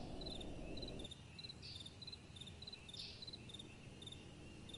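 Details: Crickets chirping at night, crisp high pulsed bursts repeating nearly four times a second; a low wind rush drops away after the first second, leaving the chirps clear over a faint breeze.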